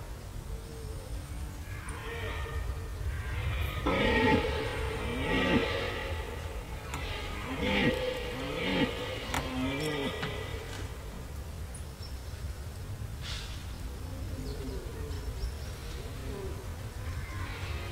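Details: Red deer in rut at Gemenc, Hungary: deep, drawn-out harmonic bellows rising and falling in several bursts through the middle of the recording, over a steady low rumble of background noise.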